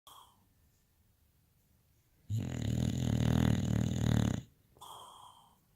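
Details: Olaf, a boxer dog, snoring while dreaming: one long rumbling snore lasting about two seconds, a low harmonic buzz, with soft breathing sounds before and after in a quiet room.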